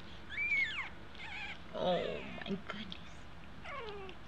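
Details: Young American Eskimo Dog puppies, two weeks old and taking first steps, give thin descending whines and a short cluster of squeaky cries, with soft human voices in the background.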